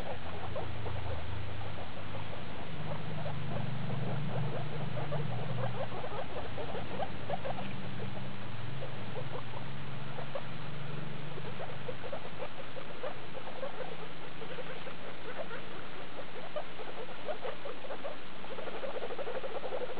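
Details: Hairless skinny guinea pig mother Daisy and her young of litter E2, born 2 August 2012, recorded 19 August 2012 at CHS Luna: steady stream of quick squeaky chirps over a low, droning background hum.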